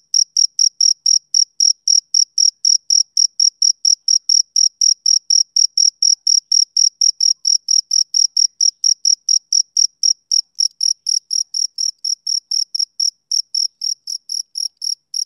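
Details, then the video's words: Summer-evening chirping of a male cricket, a long unbroken series of sharp high-pitched pulses roughly four each second, very regular, growing slightly softer toward the end; nothing else audible. "Cricket Chirping Sound Effect"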